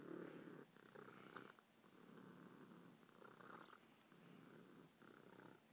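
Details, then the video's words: Pet cat purring loudly and happily in a small room, a rough low rumble pulsing with each breath, broken by short gaps and faint handling noises. "Meatball imitates a lawn mower"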